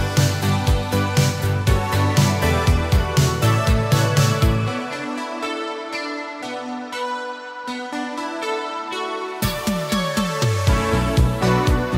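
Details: Electronic dance music with a heavy bass beat drops to a quieter melodic break midway and then returns, and no animal sound is heard.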